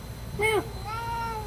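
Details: White cat, one of several that regularly visit the front of a shop in Saudi Arabia, gives a short, clear, falling meow, then a longer, softer, drawn-out tone that slowly rises and falls.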